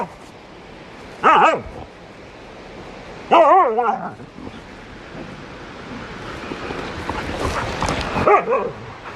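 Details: Dog in a funny pet compilation giving two short, whiny, wavering yelping barks about two seconds apart, followed by a quieter third yip near the end over a low background hiss.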